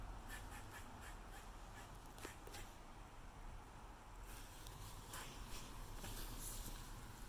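A squirrel gives quick, harsh, repeated barks, a territorial call, over a low steady rumble.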